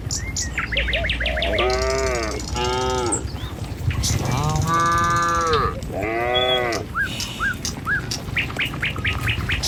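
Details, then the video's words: Tame cattle moving as a herd along a village road to their enclosure in the morning. Four full, rich moos arrive in pairs, with quick high bird chirps before and after them. "Suara Sapi Moou Sepanjang Jalan Menuju Kandang"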